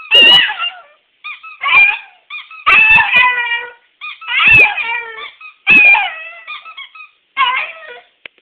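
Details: Schipperke; moan; talking back to owners when they get home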